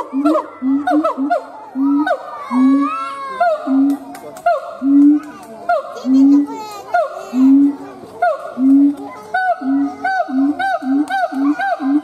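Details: Loud, rhythmic howling from a siamang gibbon: punchy hoots repeated roughly once a second, interrupted midway by a busier burst of quick, overlapping rising whoops.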